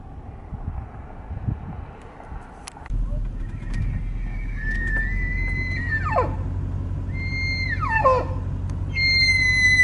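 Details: A big bull elk in a Colorado mountain town, after jumping a fence, bugles: high, held whistles that break and slide sharply downward, over a low steady rumble.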